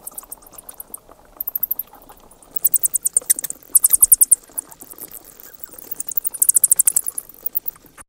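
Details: Screeches from bats on the wing come as rapid, piercing chatters of high squeaks in repeated bursts. The loudest runs arrive around the midpoint and again toward the close, with little else but light background noise.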